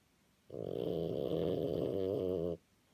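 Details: Deep asleep after an excited walk, the French Bulldog Napo gives one long, rough snore of about two seconds, vibrating and nasal, beginning and stopping sharply in a quiet room.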